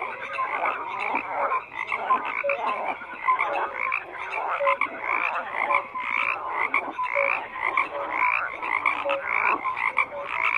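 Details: Frogs in full chorus, a continuous mass of croaks and rattling trills mixed with brief pure whistled notes, many callers overlapping throughout.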